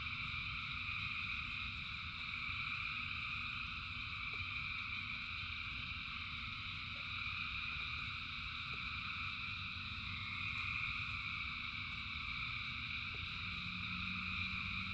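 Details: Thousands of frogs singing in rain; steady layered high trilling with a few individual warbling calls standing out, soft ticks scattered through, and a low rumbling rain background.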